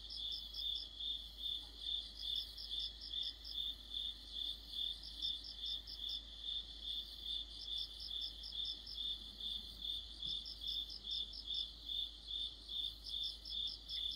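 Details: Autumn cricket chorus with other insects, a bright, steady train of high pulses about 2.4 per second, joined by clusters of quick, higher chirps that come and go throughout.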